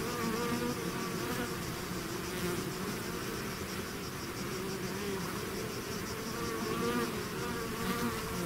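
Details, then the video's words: Many bees swarming out of their hive make a thick, unbroken droning buzz, layered tones wavering slightly as individual insects fly close and away. "bees therapy swarm natural buzzing sound"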